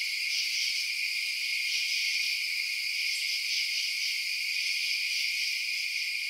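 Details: Chirping crickets after dark, many high, fast-pulsing trills merging into one steady shimmering drone with faint rhythmic swells and nothing else audible.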